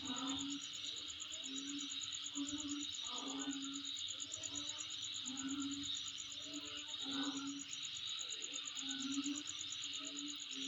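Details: A continuous high, finely pulsed insect trill dominates, with steady background hiss and a low hooting tone recurring roughly every second.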